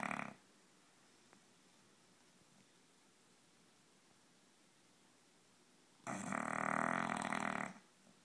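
An English bulldog snores with a loud, rasping rattle, then falls quiet for several seconds.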